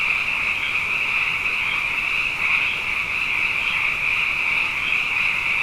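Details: Massed frog chorus at night, the frogs abundant after back-to-back wet years; a steady, high, ringing trill from many animals at once, with a few brighter notes standing out briefly.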